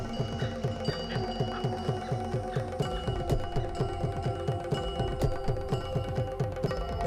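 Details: Only music is heard, with steady chiming mallet tones over a repeating low pulse and no animal voice. Layered bell-like notes ring throughout, and no call or cry breaks through.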